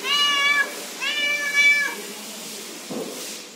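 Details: Friendly cat meowing indoors: two clear, high, harmonic meows, each about half a second to a second long, rising then falling slightly, followed by a soft thump and quiet room noise.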